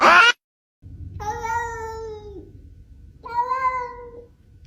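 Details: Domestic cat, one of several funny internet cat sounds being ranked: two long, level meows about two seconds apart, each holding a steady pitch before trailing off, in a quiet room.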